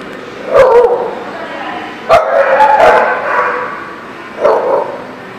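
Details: Dog barking at a parking lot on 1/4/19: three loud, harsh barks with spaced pauses, the middle one longest and rougher, with a faint background hiss.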